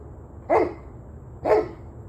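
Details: Two separate dog barks about a second apart, each a short harsh burst with a strong mid-pitched core, against a quiet low background hum.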